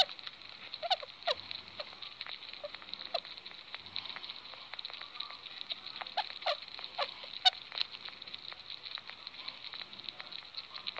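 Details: Happy pet sugar glider at supper time: scattered short, soft chirps and quick clicks rise out of a steady crackling, sizzling hiss, with a few louder sharp ticks and brief low murmurs in between.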